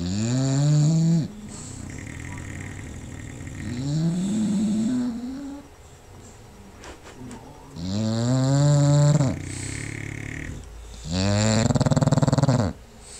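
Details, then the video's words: Paisley, a sleeping bulldog, snores away while Magoo does the same in the background and Bumbellina rests nearby; long rasping, harmonic-rich snores rise and fall in separate breaths roughly every three to four seconds. "Princess Paisley Periwinkle the bulldog catchin' some ZZZZZ's"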